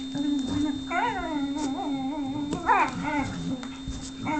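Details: Lux the whippet whimpers for Sophia's affection while she plays hard to get: two rising, wavering whines near one and three seconds, with a steady background hum.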